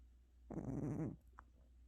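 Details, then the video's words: Gucci, a pet cat worn out after a hospital visit, snores once indoors: a single raspy, buzzy breath lasting under a second, with a low hum underneath. "고양이 코골이 전문가"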